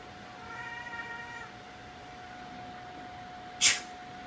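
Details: A Siamese cat, upset by a sneeze, gives a steady, drawn-out meow lasting about a second, followed later by a sharp burst.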